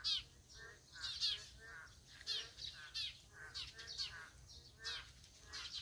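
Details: A chorus of Boreal digging frogs, giving brief twangy calls in bursts about once a second, the voices overlapping and varying in loudness, with a soft constant background noise.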